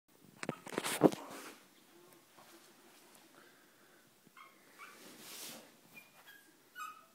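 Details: Chihuahua puppies indoors: a burst of rustling and handling noise early on, then a few thin, high squeaky whimpers, short rising and falling squeals scattered through the second half, fairly quiet.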